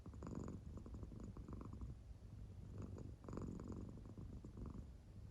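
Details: Claire, an American Shorthair cat, sleeps deeply indoors and purrs. Her belly's round marking rises and falls with it. Soft, low rumbling comes in two breathing cycles, with brighter crackly bursts on each breath and a quiet room behind.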